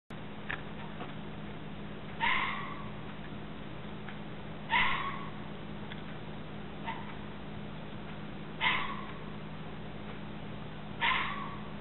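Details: Red fox screaming: harsh, hoarse shrieks with a bright upper band, about five loud ones repeated every two to four seconds, fainter calls between, over steady low hum.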